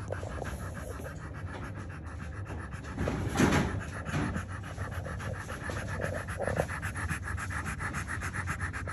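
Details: French Bulldog nursing a litter of newborn puppies; steady breathy panting continues throughout, briefly swelling with a louder rustle near the middle, over a low background hum.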